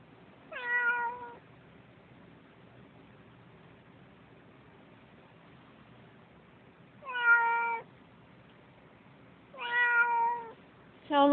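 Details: Sissy, a house cat upset about a cat in the yard, calls out four times: long, strong, slightly falling harmonic meows spaced several seconds apart, with quiet room tone between them.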